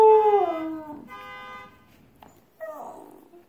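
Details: Husky answering a car alarm with one clear howl that glides steadily downward and fades within a second. Steady electronic alarm tones hum beneath, and a fainter short whine follows near the end.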